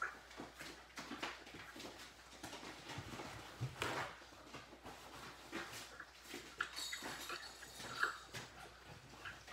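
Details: Yellow Labrador retriever puppies, a litter of seven, indoors in their pen during a messy morning, playing, snarling and barking; scattered short yelps and squeaks over constant scuffling and clattering, with brief whimpers.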